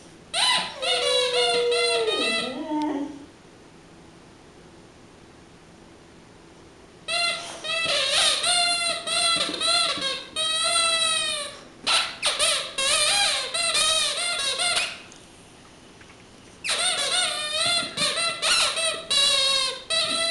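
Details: Mattie, a four-year-old Boxer, sings her own version of Frosty the Snowman indoors: drawn-out harmonic howls in three phrases with pauses between them, each phrase made of wavering, stepped tones.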